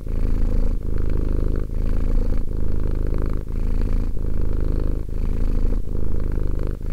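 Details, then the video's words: Close recording of a two-year-old domestic cat's purr: a thick, low, buzzing rumble in regular breath-long stretches of under a second, separated by slight dips. "One hour of quality cat purring."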